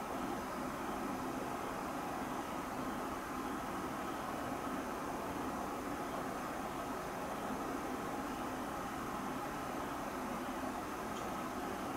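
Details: Steady broadband hiss like distant traffic fills the whole recording evenly, with no distinct animal calls standing out.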